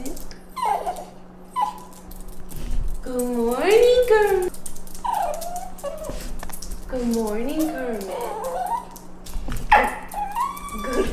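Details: Pet dog crying indoors in the morning while waiting for breakfast; high, wavering whines and yelps rise and fall repeatedly, mixed with a person's speech and a steady low hum.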